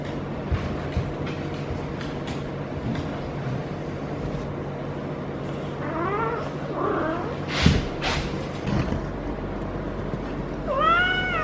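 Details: Feral female cat in her first heat cycle, caterwauling while being petted: two faint wavering, harmonic yowls around six to seven seconds, then a rising yowl at the end over a steady low hum and soft rustling.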